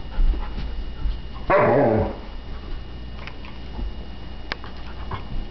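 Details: A female Alaskan Malamute puppy lets out one half-second falling, harmonic, howl-like "roo" of frustration at being unable to pick up a bowling ball she is playing with; soft knocks and low room noise around it.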